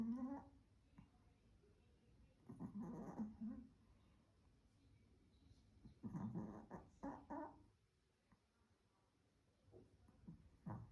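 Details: Sleeping Pomeranian spitz, a little dog, snoring in bursts roughly every three to four seconds, each a raspy harmonic snore of about a second, with quiet breathing in between indoors.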